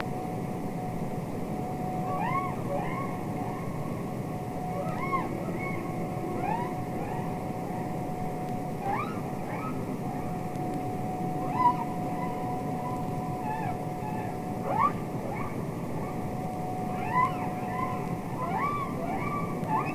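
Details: Humpback whale song from the Capitol Records ST-620 underwater recording of real whales singing and communicating: series of short upswept chirps repeated every second or two over a steady low hum and murky water hiss.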